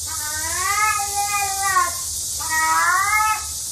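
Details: Pet cat giving two plaintive meows, the first stretched to nearly two seconds and sagging at its end, the second shorter and rising, with constant hiss behind.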